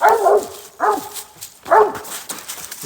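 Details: Hunting hound Smooth trees a raccoon in Iowa, giving loud, rough, harmonic barks in a steady rhythm. Three strong barks come roughly every eight-tenths of a second, each dropping in pitch, with faint echo behind.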